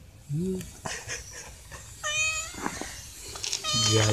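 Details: Hungry stray cats ask for dry food. A low rising sound opens the clip, then a steady mid-pitched meow and a later rising meow come through over background murmur and a voice.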